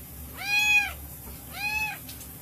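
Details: A hyperactive, constantly meowing tortoiseshell cat gives two clear, rich meows, each rising then falling, about a second apart, while having her rear scratched.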